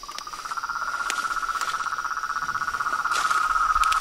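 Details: Frogs, toads and tree frogs calling together in a dense, continuous buzzing trill of rapid regular pulses at mid pitch, slowly swelling in loudness, with a few scattered clicks.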